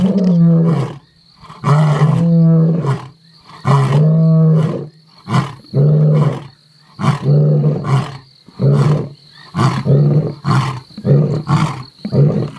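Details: Mapogo male lions roaring, a rhythmic sequence of deep grunting roars, about a dozen heavy bursts roughly one second apart that gradually shorten, with a faint high tone in the background.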